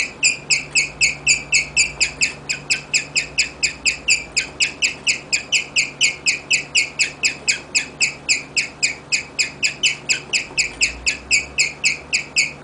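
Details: Guinea pig Rigel keeps up a long chirping serenade, dozens of high, sharp, whistle-like pulses about four each second, steady and unbroken over a quiet background.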